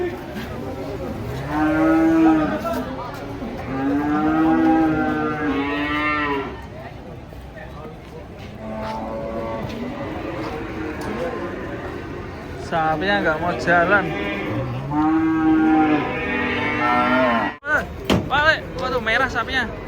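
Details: Giant cattle being unloaded from a truck give a series of drawn-out, wavering moos of about two seconds each, rising and falling in pitch, with quieter gaps between and a sharp knock near the end.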